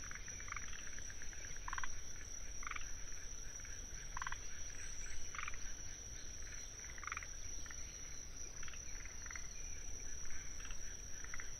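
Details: Forest green tree frogs calling in a wetland at Tsuruoka, Japan, on 19 June 2021: short rattling chuckles repeated every second or so from several frogs, over a steady high trill of Kinhibari crickets and low background rumble.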